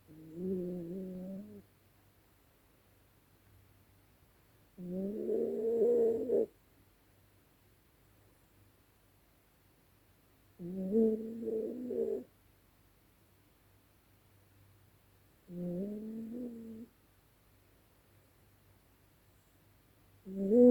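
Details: Female Yorkshire Terrier snoring loudly at night: five drawn-out, nasal, whining snores about a second and a half long, each with a layered, buzzy tone, spaced roughly five seconds apart with near silence and a faint hum between.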